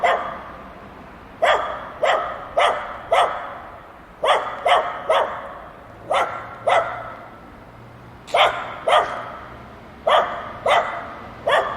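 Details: Dogs barking while playing together: short sharp barks in quick bursts of two to four, with pauses between groups, over a low steady background hum.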